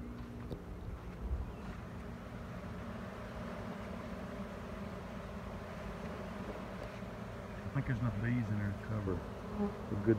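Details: A 2019 honey bee swarm, heard during hive work with frames and boxes. A steady, dense, low droning buzz runs throughout, with a few scattered clicks and a man's voice briefly toward the end.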